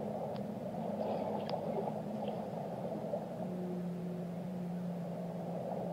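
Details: Whale song with a few short clicks early, then a sustained low moan and a fainter higher companion tone drawn out for two seconds, set in steady underwater noise.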